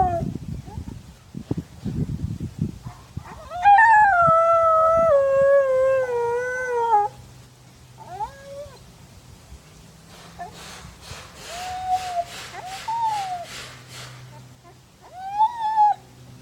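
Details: Siberian husky Odin in Madison, Wisconsin, answering a buddy's barking down the street. After scattered noises comes a long wavering howl that slides downward, then several short rising-and-falling howls separated by quieter gaps.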